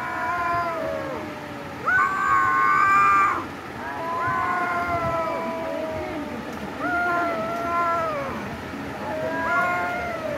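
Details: Domestic cats in a fight, producing a series of long level yowls with rich overtones, each held a second or more and ending in a downward slide, separated by short pauses.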